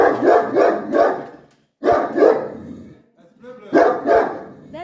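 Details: A dog barks at his own reflection. There are three bursts of rough, loud, broadband barks, two or three in quick succession each time, separated by short pauses. A person speaks softly in between.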